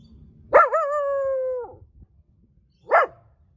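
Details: Puppy basking lazily in the sun reacts as a person walks up: a long drawn-out tonal howl-like cry holding steady for about a second, then, after a pause, one short sharp bark. Little black dogs are running around nearby.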